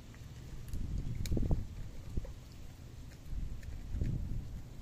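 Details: Park cats (mackerel tabby, brown tabby, orange tabby) eating canned food and milk, recorded on a smartphone on 12 October 2023 with no background music; irregular soft clicks and wet smacking over a low handling rumble, louder bursts around the middle.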